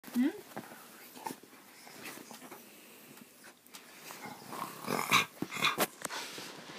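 An Akita opens with a brief, rising, whiny yodel, then adds short grumbles and yips at irregular intervals. A person's voice is heard talking over parts of it in an indoor room.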